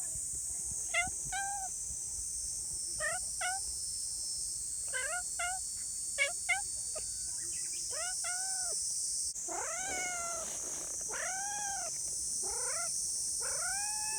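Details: Affectionate community cats give repeated short meows early on, then longer, arched, drawn-out meows in the second half, over a constant shrill chirring of crickets.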